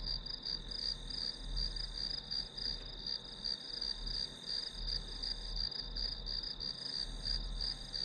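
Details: Grass insects calling, used as study background noise: a dense, high, ringing trill pulsing rapidly without a break, over a soft low hum.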